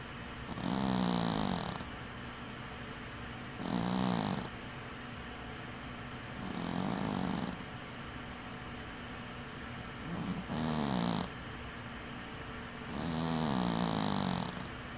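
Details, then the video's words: Domestic cat snoring while asleep with one eye open: five rough, buzzy snores with a low wavering hum, each lasting about a second and recurring roughly every three seconds, separated by quieter breathing. "Snoring cat"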